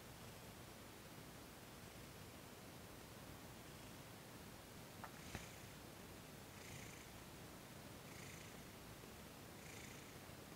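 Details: Thomas, a domestic cat, purring while receiving massage and Reiki on December 28, 2021; a quiet, steady low rumble, with soft breathy surges arriving about every one and a half seconds in the second half, and two faint clicks near the middle.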